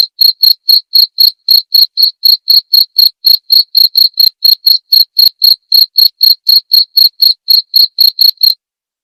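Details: A clear cricket tutor recording for white-rumped shamas: rapid, piercing chirps at an even four-per-second rhythm run for over eight seconds before cutting off, leaving a short silence; the background is otherwise empty.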